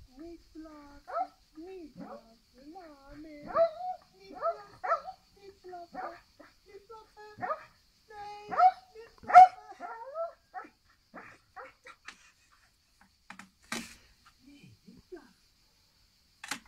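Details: A Pembroke Welsh Corgi told not to bark can barely contain himself, giving sharp, irregular barks mixed with whiny, talkative yelps, with a person's voice alongside.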